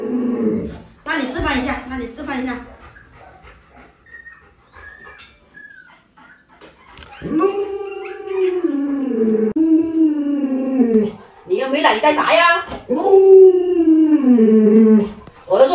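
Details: Indoors, pet Alaskan Malamute Luoluo protests while its owner jokes about stewing a puppy, giving several long wailing howls that rise then sag in pitch, with short whimpers and pauses between them and a few human words.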